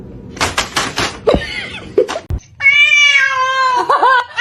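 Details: House cat in a funny pet compilation: a long, steady, high meow held for well over a second. It follows a burst of clattering knocks and laughter, then wavers downward at the close.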